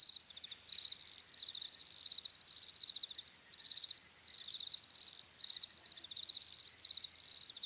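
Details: Crickets chirping: a thin, high, rapidly pulsed trill delivered in repeated bursts, with more crickets adding a constant ringing background chorus.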